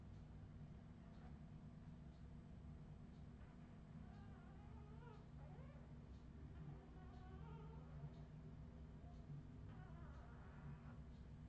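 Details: Australian Terrier puppies from a 2018 litter giving soft, high, wavering whimpers and squeaky whines in short bursts, mostly in the second half, over a steady low electrical hum.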